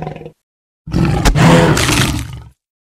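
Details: Tiger hunting a water buffalo: a brief low grunt, then after a pause a deep, rough, broadband roar lasting about a second and a half, heavy in low rumbling tones before cutting off abruptly.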